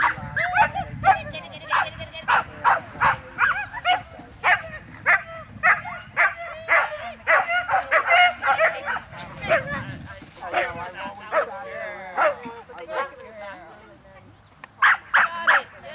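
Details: Border Collie lure chasing, letting out rapid, high-pitched excited barks and yips in quick irregular volleys, with a person's voice audible in the background.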